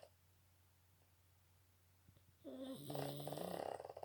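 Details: After a quiet stretch, a Boston Terrier breaks into a loud, rattling snore that swells and then holds steady, rough and buzzy, indoors.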